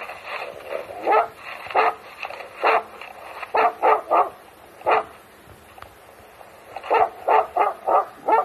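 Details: Finnish Hound used for fox hunting in Gävleborg, Sweden, on a Friday, found chasing a wolf instead; loud, urgent barks in quick bursts, some doubled, with short pauses between groups.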